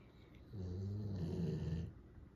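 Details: Golden Retriever snoring in its sleep, called the noisiest snorer among three dogs; one drawn-out, deep, vibrating snore lasting over a second, with a wavering buzzy tone, framed by near silence.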